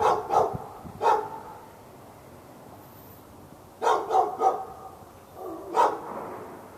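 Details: Fenced dog in Raleigh, North Carolina, barking at the neighbour's dog during hours of daily non-stop barking, February 15, 2012; a few quick barks, a quiet spell, then a rapid burst of three barks and a final single bark.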